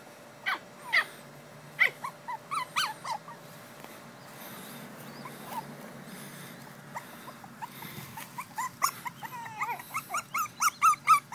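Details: Two female Pekingese puppies let out scattered short whimpers and squeaks, quiet through the middle, then a fast run of rising-falling yelps building louder toward the end.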